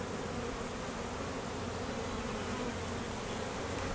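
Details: Honey bees at an apiary during peak summer honey flow, foragers busy and drones out on midday mating flights; a steady, dense hum of many bees fills the whole stretch with a low drone and broad hiss.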